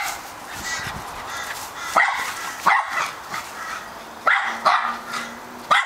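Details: Male Australian Terrier barking insistently: a faint start, then five loud, abrupt barks in the second half, some doubled in quick pairs, and a low steady hum in the background.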